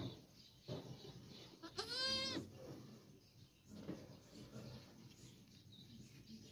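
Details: Goat calling around the time it gave birth to a female kid: a single quavering, harmonic bleat lasting about half a second, surrounded by soft background rustle and low murmurs.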